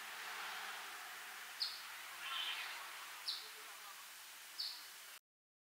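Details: A squirrel up a tree in Africa gives angry, short, sharp, high chirps, at first mistaken for a bird, spaced a second or two apart over a steady hiss, while calling with its mouth full.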